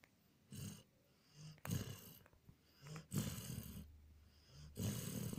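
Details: Jon, a Border Collie, sleeps and snores (14/04/2018): deep, rough snores of about half a second to a second, separated by quieter inhalations, with a low vibrating rumble under airy hiss.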